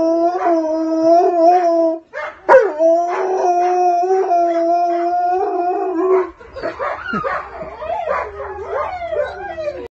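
Wolfdogs howl together with a wolf in long, steady, wavering tones that overlap.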